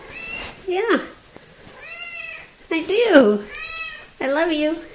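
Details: Talkative little female house cat, recorded 3 February 2018, meowing in four distinct bursts about a second apart, each a clear, tonal cry that bends up then down, one with a sharp falling dip.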